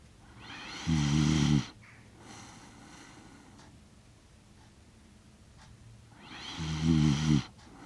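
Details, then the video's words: Shiba Inu Kaki-Maru, six years one month old, asleep in Rotterdam, Netherlands, 30 September 2025, recorded with a DJI Mic Mini; two loud low rumbling snores about five seconds apart, faint breathing sounds in between. "柴犬柿丸 柴犬のいびき"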